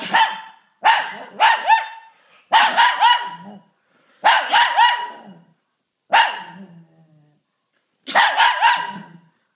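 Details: Shih Tzu at home barking and howling whenever someone sneezes; loud, ringing barks come singly and in pairs or triplets, some drawn out toward a howl, with clear gaps between bursts.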